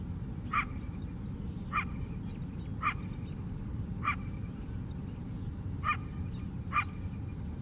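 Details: A coyote on a Chicago south-side lakeside gives six sharp, hoarse barks about a second apart over a low, steady rumble.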